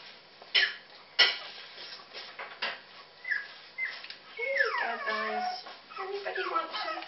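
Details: Puppies that favour cat food over their own food let out sharp yelps, then long high whines sliding downward in overlapping layers, several pups calling at once, with a person talking softly in the room.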